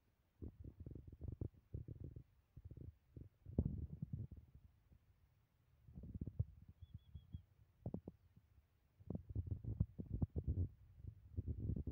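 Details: Soft low thumps and rumbling bursts come and go against near silence, with no calls or voices.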